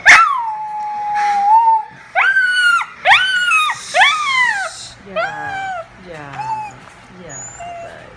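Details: Dog howling at sirens, starting with one long sustained howl, then a run of shorter rising-and-falling howls that fade into softer yips and whimpers toward the end.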